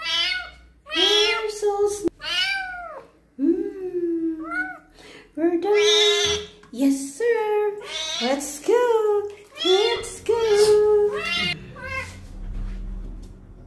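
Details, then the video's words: During its first bath, with wounds being cleaned, a kitten meows repeatedly: many short and medium meows in quick succession, some bending upward then down, with low rumbling noise toward the end. "KITTEN'S FIRST BATH, CLEANING HIS WOUNDS AND HE MEOWS A LOT"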